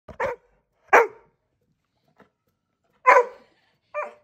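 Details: Labrador barking for attention while his owner holds a second, rowdy dog to calm him; four short sharp barks spaced about a second apart, the last one higher and yelping, quiet room.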